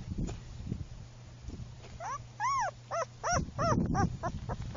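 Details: Tan sable female German Shepherd puppy whimpering: a run of short, arched, high whines, quickly repeated, among low thumps and handling noise, with a steady low hum underneath.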